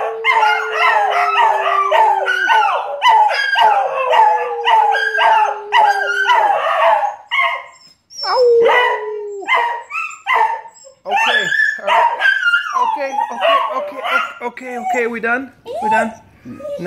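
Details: Owner-prompted howling from pet dogs: overlapping wavering howls and yips with a steady low drone early on, a pause near the middle, then looser falling and rising howls that trail off unevenly.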